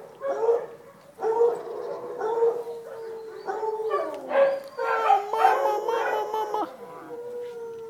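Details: Dachshund puppies with their mother, filmed 5 August 2011, howl and whine in long, wavering, overlapping cries.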